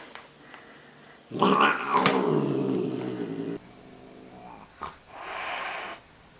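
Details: Angry cat producing a rough, growling yowl for about two seconds, then a quieter breathy hiss after a pause.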